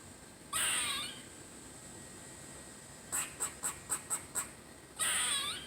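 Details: Squirrel named Squirrely, having fun, utters a harsh buzzy moaning call. After a pause comes a quick run of six sharp high chips, then another drawn-out rasping moan.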